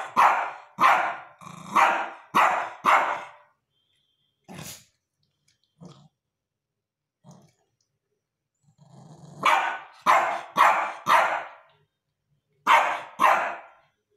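A Shih Tzu gives bursts of sharp, high barks, pausing between runs of four or five.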